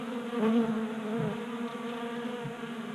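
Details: Brief close hum of honey bees feeding from a 3D-printed bee feeder indoors in a Colorado garage in January, at 60 degrees; the buzz rises in pitch and volume for a moment, then settles into a steady drone.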